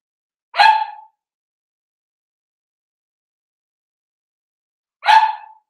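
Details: Seven-week-old Cavalier King Charles Spaniel puppies from Daisy's litter in an indoor puppy pen at home. Two short, high, harmonic yips about four and a half seconds apart, with silence between.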